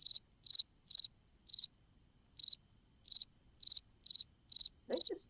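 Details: Fall cricket heard in autumn, a cheerful insect said to bring good luck in a house: a series of about ten crisp high chirps made of rapid pulses, spaced unevenly, with a brief low thud near the end.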